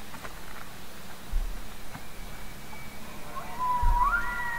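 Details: Elk bugle opening as a clear whistle that climbs steeply in two steps and then holds high, over a steady low rumble with a few faint clicks.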